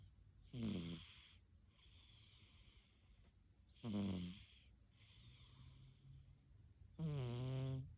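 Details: A sleeping Siamese cat snoring and snorting loudly: three strong, rattling, low snores about every three seconds, with fainter wheezy breaths between them in a quiet room.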